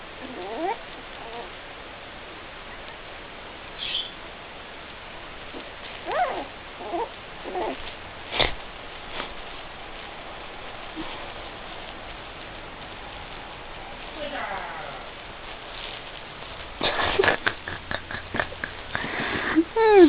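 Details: Two puppies, Helga (brown) and Minnie (black), vocalizing indoors: scattered soft, thin whines that bend up and down in short bursts across the stretch, growing busier and more frequent toward the end over a steady background hiss.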